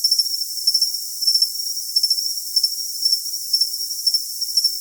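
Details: Cricket chirping in short, high, pulsed bursts roughly twice per second, each chirp a quick double or triple trill, laid over a constant bright hiss with no low sounds at all.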